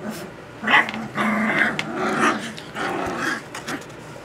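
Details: Puppies, 2 weeks and 6 days old, just learning to use their voices, give a run of squeaky, growly yelps and drawn-out whines, several linked calls over about three seconds, then quieter.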